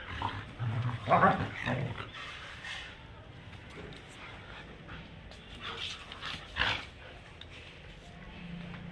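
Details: German Shepherd dog playing in Birgunj, giving loud, rough bark bursts clustered near the start, then quieter stretches before another pair of sharp barks toward the end, over a low steady background hum.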